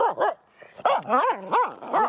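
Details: Female Finnish Spitz playing with a stick in an empty horse pen: a quick run of short, harmonic, yelping barks, about six in two seconds, each rising then falling in pitch.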